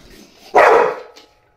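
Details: Bull Terrier gives a single short, loud, hoarse bark during an obedience session, with a handler giving commands and praise in Russian just before and after.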